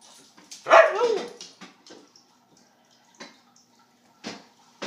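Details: A Siberian husky named Ruby vocalises indoors while her dinner is prepared: one loud, rough, slurred yelp-like cry near the start, then quiet clicks and small knocks in a small room.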